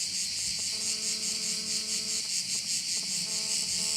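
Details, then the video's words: Crickets chirping at a bay on Korčula, Croatia: a dense, high, shimmering chorus that pulses about twice a second, with a steady low tonal hum drifting in and out beneath it. "view of one of the bays in Korcula with sounds of crickets"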